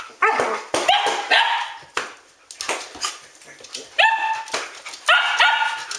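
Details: Standard Poodles barking at home ten minutes after midnight; sharp, harmonic barks in irregular bursts, several rising yelps, with pauses between volleys and a person scolding the dogs to be quiet.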